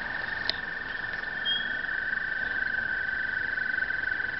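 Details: Toads at Brookside Gardens give their breeding call, a steady, high, musical trill that carries on without pause.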